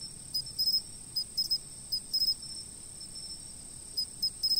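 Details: Insects chirping, taken with a fixed camera for sleep: a steady, very high ringing tone with a second shrill band below it, broken by short bright pulses in clusters of two or three, over a soft low rumble.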